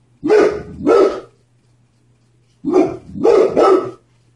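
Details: Domestic dog barking at the mailman: two loud, harsh barks in quick succession, a pause of over a second, then another tight pair of barks, all over a faint background hum.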